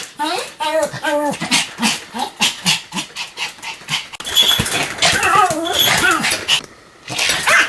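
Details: Rapid-fire yapping from Sam the Pomeranian: a fast, uneven volley of shrill barks at the start, then barks mixed with people talking and household noise.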